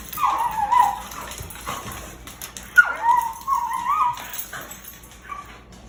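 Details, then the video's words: Dog fighting another dog, giving hyena-like noises: two drawn-out, wavering, high whining cries, the first near the start and a longer one after a sharp yelp midway. Fainter whimpers trail off toward the end. "Dog makes hyena noises while fighting other dog. The Warcry Battle!"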